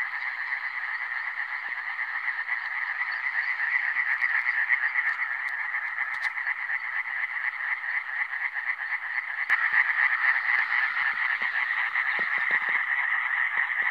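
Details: Iberian tree frog (Hyla molleri), recorded in 2017: a dense, unbroken run of rapid, nasal, rattling croaks, pulsing about twice a second, with several frogs seemingly overlapping into a steady chorus.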